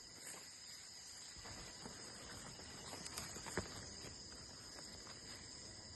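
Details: A steady, high-pitched insect trill from crickets runs unbroken through the outdoor night air, with occasional soft taps and light rustling underneath.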